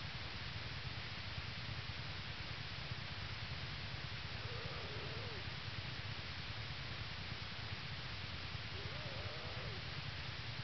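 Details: American black bear yearling Hope purring atop her mother Lily in a winter den at the North American Bear Center, Ely, Minnesota, early morning, 22 January 2011, a day after two cubs were born; steady low rumbling pulse under constant hiss.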